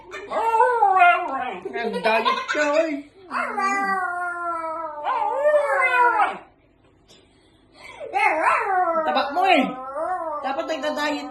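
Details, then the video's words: Pet dog talking back to its owner with drawn-out, wavering howls and whiny yowls in three long phrases, broken by a brief pause near the middle. "dog keep talking"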